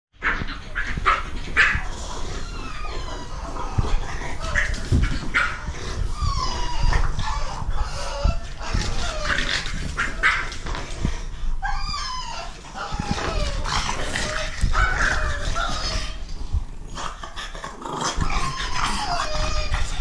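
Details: A blue French Bulldog puppy telling off his mother with high, squeaky yips and whines in quick, uneven bursts; French Bulldog.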